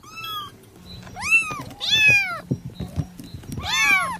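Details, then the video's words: Cat meowing indoors, kitten or adult: a short high mew, then three rich arched meows spaced about a second apart, with low rumbling and clicking handling noise between calls. "the sound of kittens🐈and cat😻"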